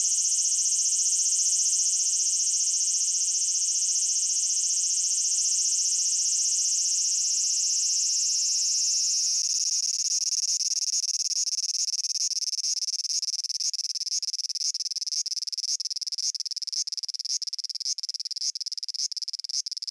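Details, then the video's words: Cicada song from Japan: a dense, sizzling high-pitched drone holds steady for about ten seconds, then turns into rapid, fairly regular ticking pulses of roughly four per second over the continuing hiss. "Cicada Sounds and Cicada Songs"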